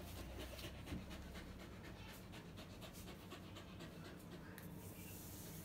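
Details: Panting of Lucky, a dog with a disability since birth, during play with mommy: rapid breathy in-out puffs, about four each second, with a constant low background drone.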